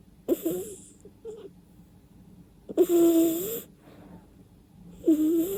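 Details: Sleeping house cat snoring and snorting through its nose: three drawn-out wheezy breaths, each about a second long, spaced roughly two seconds apart, with quiet gaps between and no background music.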